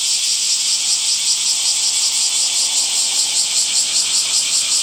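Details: Summer cicada chorus, a steady high-pitched electric whirr with rapid regular pulsing, holding at even loudness throughout without pause; nothing else stands out.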